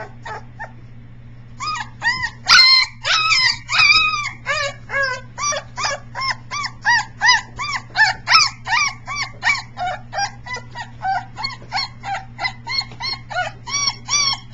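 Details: Very vocal three-week-old Briard pup doing howling practice in July 2009, at times peacock-like: after a quiet start, a long run of brief yelping, wailing howls, roughly one every second, uneven in pitch and spacing, with a constant low background hum.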